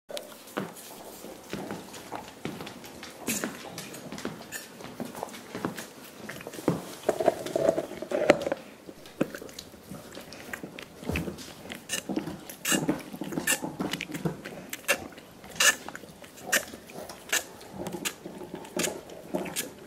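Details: Five dogs chewing soup bones as part of a dental hygiene routine, indoors; dense wet slurping, gnawing and sharp clicking crunches of teeth on bone, irregular and continuous throughout, overlapping from several animals.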